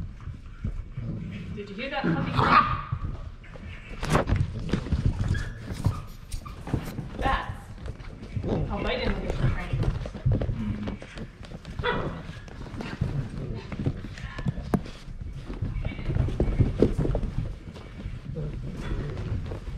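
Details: Eight-week-old German Shorthaired Pointer puppies at midday play time, giving scattered short yips, whines and small barks among scuffling and thumping, with people talking throughout.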